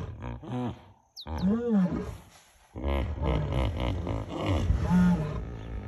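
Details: Lions at dusk on the bank of the Talek river, three drawn by the smell of a hippo carcass, calling in competition with hippos; deep groaning calls with bursts of harmonic noise, a pause, then further rumbling vocalizations.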